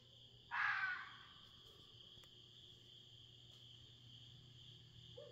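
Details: Red fox screaming outside in the middle of the night, Smoky Mountains, Tennessee: one harsh, hoarse shriek lasting about half a second, followed by quiet with a steady insect-like hum in the background.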